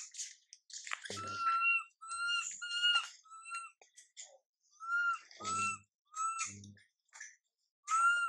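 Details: Whimpering of MILA, a young monkey left unattended by her mother MILIKA: repeated short whistled coos, steady in pitch, in bursts, with soft low thumps and handling noises between calls.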